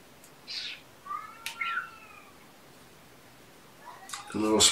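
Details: Young foster kitten indoors with its mother on a weekend morning, 18 February 2018; a thin rising-then-falling meow with bright overtones, a soft clatter, and a person speaking softly at the end.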